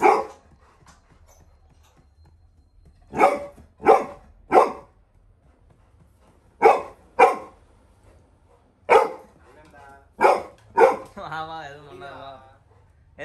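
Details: Little John, a young Labrador Retriever, barks at a stranger entering the home: a string of sharp barks in pairs and singles, with a person's voice and drawn-out harmonic sounds near the end.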